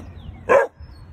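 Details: A Weimaraner puppy under five months old, always on alert for intruders, gives a single sharp, high bark at a suspected intruder.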